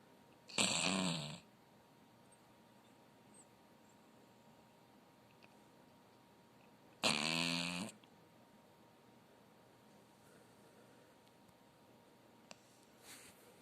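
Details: Chihuahua named Zefir, ten years old in summer 2020, snoring while asleep indoors: two loud, harsh rasping snores about six seconds apart, each near a second long, with quiet room hiss between.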